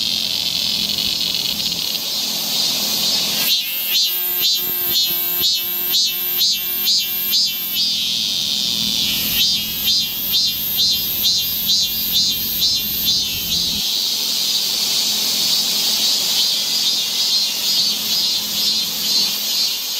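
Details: Korean summer forest cicadas near Seoul: a constant shrill chorus underlies a louder caller giving rapid, evenly spaced pulsing buzzes in two bursts of about four seconds each, throbbing several times a second before the steady drone resumes.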